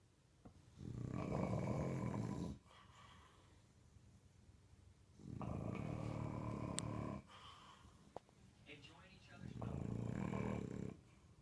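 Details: Sleeping English Bulldog snoring at home, phone recording: three long, raspy, rattling snores about four seconds apart, each over a second long, with faint clicks and brief soft sounds in the quiet gaps between them.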